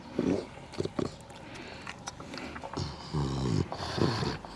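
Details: Bulldog napping, with rough low snoring snorts in bursts, one long harmonic snore near the end and a shorter one after, amid faint household rustling.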